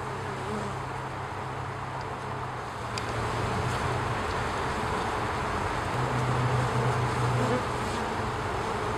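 Honey bees give a low, steady droning hum with pulsing buzzes during the waggle dance.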